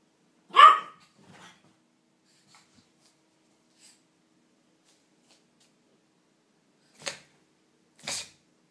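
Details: Pet dogs at play: a single loud, harmonic bark rings out early, then only faint scuffles and two short dry thumps near the end.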